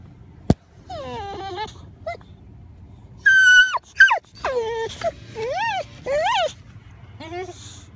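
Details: Boxer dog on first sight of an elk herd, whining and yelping in a string of high, wavering, rising-and-falling cries, interleaved with people speaking soothingly nearby and a sharp click near the start.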